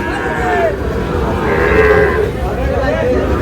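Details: Sahiwal cattle, a bull calf at the Ambari cattle market near Narail, gives drawn-out, steady lowing moos over constant crowd murmur and market bustle.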